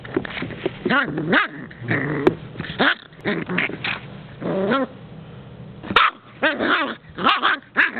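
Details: Tula, a Puggle puppy, plays and hides under a coffee table while dodging the camera indoors. She lets out bursts of grumbling growls and short yappy barks with arching, wavering pitch, some clustered in quick runs, with brief pauses between.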